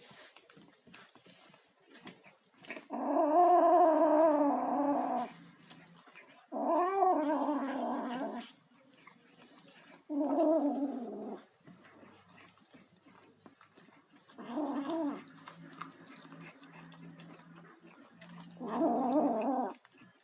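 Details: Kitten vocalising as it eats: five wavering, rough-edged calls that sound like growled mews, each lasting one to two seconds and separated by quieter gaps filled with small eating noises.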